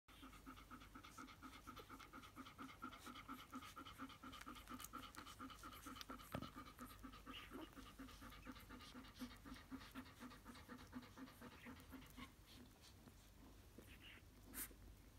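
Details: Steady, rhythmic panting of an adult Golden Retriever, about two breaths a second, with faint soft squeaks from her two-day-old newborn puppies nursing.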